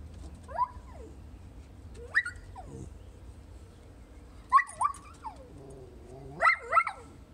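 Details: Alvie and a Chow Chow chatting, 20 April 2018: a dog gives scattered high, bending whine-like yelps that rise then drop, singly and in pairs every one to two seconds, over a low steady hum.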